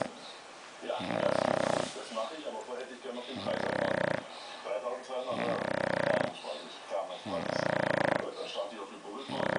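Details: English Bulldog Emma, in deep sleep, snores loudly, each rasping, rumbling breath repeating about every two seconds.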